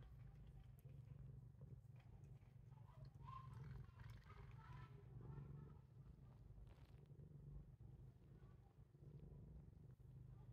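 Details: Titchimo the cat keeps up a continuous deep purr while biting its owner. The rumbling is even and soft, with some faint voice-like sounds and rustling in the middle section.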